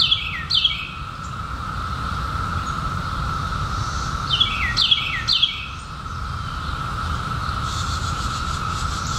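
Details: Massed periodical cicadas, 2021 emergence following 17 years underground, a constant steady buzz throughout, broken over by paired descending bird chirps near the start and again around the fifth second.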